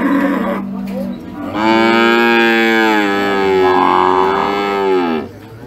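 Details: Raging sacrificial cow: a lower, rougher vocalisation leads into a long, loud moo of about three and a half seconds. The moo is rich and steady, then drops away sharply at the end.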